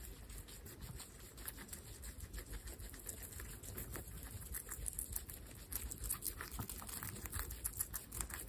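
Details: Pet guinea pigs, young females, eating together; steady crunchy chewing and nibbling pops, many small bites overlapping in quick irregular succession over soft background rustle.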